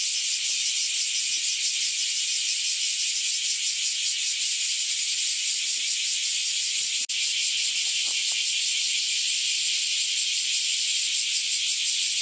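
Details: Many bear cicadas sing at once near a house while hot days continue. The buzzing is piercing, high and unbroken, shimmering with rapid pulses, with a single sharp click near the middle and faint low knocks.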